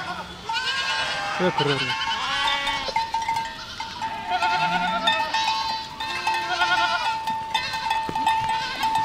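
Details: Village scene with a walking goat flock: repeated quavering bleats from several animals, one deep drawn-out cry early on, under a sustained steady ringing tone throughout.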